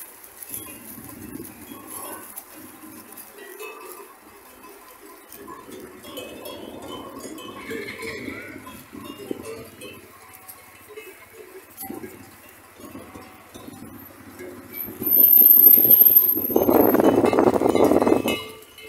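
A flock of sheep murmurs and shuffles quietly at first, with a bell clanking now and then. Near the close, one sheep gives a loud, drawn-out bleat that wavers in pitch.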